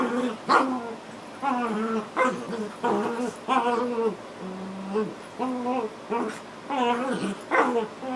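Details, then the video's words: Two dogs, Otter and her puppy Latte, playing together: repeated harmonic growling whines and short yelping barks in bursts roughly every second, rising and falling, with an occasional sharper yip between them. "Dog Fight"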